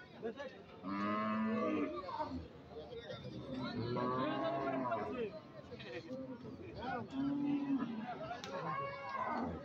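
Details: Cattle at the Aricha cattle market in Bangladesh, cows, bulls and calves for sale: several drawn-out lowing moos from different animals amid men talking and market chatter.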